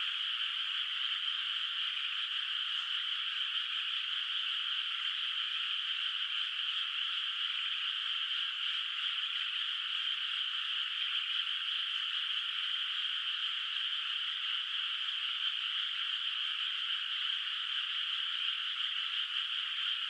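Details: Steady nocturnal frog chorus from a moonlit countryside rice field whose water holds no rice yet; countless overlapping calls produce an unchanging bright trilling hum lasting the full stretch, calm and without other sounds.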